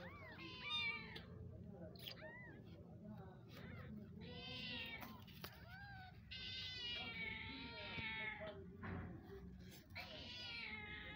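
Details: Mother cat that has just given birth, calling her kittens on the ground outdoors; repeated harmonic meows, some rising then falling, spaced a second or two apart over steady low background noise.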